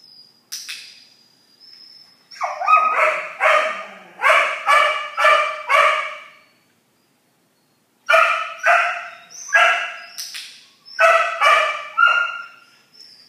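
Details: French Bulldog gives a series of loud, harsh, nasal yowling calls, several in quick succession, then a short pause, then another run of similar rough, rising-and-falling cries.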